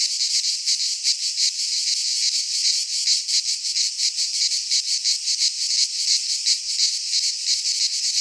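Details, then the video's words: Cicadas singing in midsummer in a Greek pine forest: a dense, steady high buzzing chorus with a rapid pulsing throb of roughly three beats a second, unbroken throughout, no other sounds. "Cicadas singing in midsummer - Nature sounds from the Greek fauna - Sounds of cicadas"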